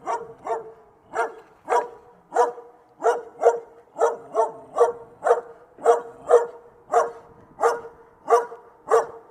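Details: Repeated barking from a dog, roughly sixteen clipped, punchy barks in nine seconds, coming in loose pairs at a steady, insistent pace with nothing else audible.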